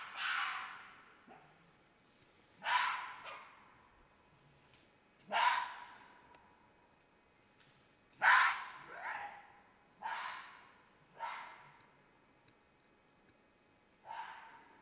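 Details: Red fox screaming in mating season, mistaken for an animal in distress: harsh, hoarse screams descending in pitch, each fading quickly, repeated irregularly every one to three seconds, some in quick pairs, against a quiet background.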